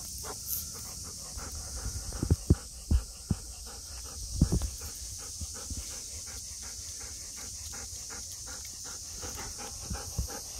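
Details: Golden Retriever walking back from a walk in blazing daytime heat, cheerful and hurrying toward a cool room; rapid rhythmic panting with occasional louder knocks or steps, over a steady high-pitched hiss outdoors.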